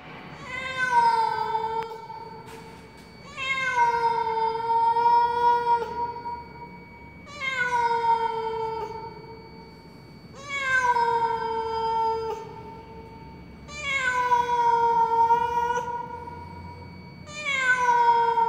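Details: A cat lying in the stairwell of a high-rise apartment building, apparently lost, gives long mournful meows, six drawn-out harmonic calls each about two seconds, gently falling in pitch, repeated every three seconds; faint steady hum underneath.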